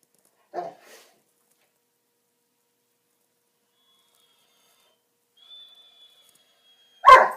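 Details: Puppis, a pet dog, sleeping with an itch on his back, gives two short, sharp yelping whimpers, one near the start and one at the very end, separated by long silence and a faint, thin high whistle.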